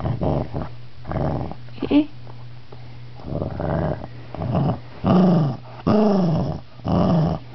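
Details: Shih Tzu annoyed at being touched during a nap, growling indoors in short rough bursts. Later bursts rise into whiny, arching tones, with gaps of quiet between them.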